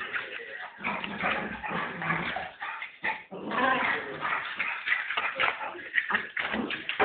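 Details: Young puppy yapping almost continuously in short, shrill bursts, packed closely together, with people's speech mixed in the background.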